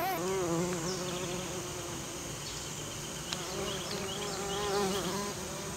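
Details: Western bumblebee pollinating American Basswood blossoms: a steady, low humming buzz that wobbles up and down in pitch and rises in loudness near the end, over a soft background hiss.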